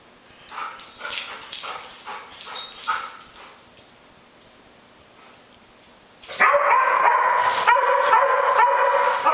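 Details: Airedale Terrier Max picking on Gabi: a run of quick barks repeated about four per second, a lull, then a loud sustained rough growling snarl filling the final three seconds.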